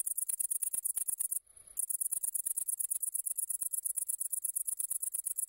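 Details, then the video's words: Great green bush-cricket singing a continuous, high-pitched, rapid rattling trill of evenly spaced ticks, broken once by a short pause of about a third of a second. "Pasikonik Zielony (Tettigonia viridissima)"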